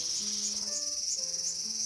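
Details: Cicada in a small garden on 5 August 2020, giving a loud, steady, high-pitched buzzing drone without a break.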